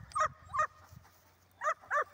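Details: Dog during a retrieve training session, giving four short, sharp barks in two pairs separated by a pause of about a second, each bark clipped and bright, with a low steady background hum.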